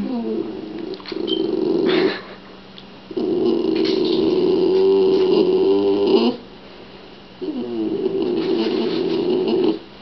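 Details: Gargling Shiba Inu noises indoors, another dog guarding a rawhide; three long bouts of loud, throaty, vibrating grumbles, each lasting two to three seconds, broken by short pauses.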